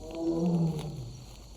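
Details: A wild Sumatran tiger in the Indonesian jungle at night gives a single deep, throaty roar that sags lower in pitch before fading, possibly linked to the mating season.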